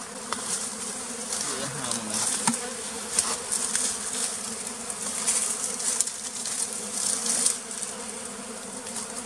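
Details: Close, continuous droning buzz from one bee picked up near a bee farm in the flooded forest of western Tonle Sap Lake, Cambodia. The low hum holds steady throughout, with faint background rustling and distant voices.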